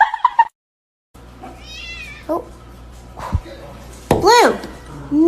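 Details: A kitten gives a high, arching meow that rises and falls while someone nearby tells it to get down from the fridge, with people talking nearby.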